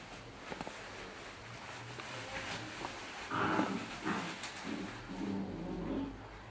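A Jack Russell Terrier gives a few rough, gruff barks that swell and fade over background hiss.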